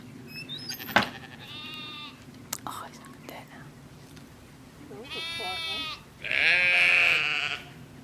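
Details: Lamb and ram calling back and forth, a thin bleat early on, then two strong, wavering bleats, the last loud and harsh, with people talking quietly in the background.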